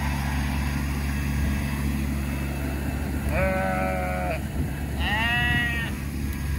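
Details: Sheep that escaped their fence being rounded up with a tractor: two wavering, harmonic bleats about a second long, the second higher, over a steady low tractor engine drone.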